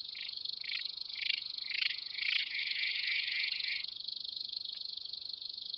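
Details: Steppe grasshopper at Mörnsheim, Germany, recorded 27 July 2018. A continuous dry, buzzing stridulation rises and falls in loudness for several seconds, then settles into a thinner, steady hiss.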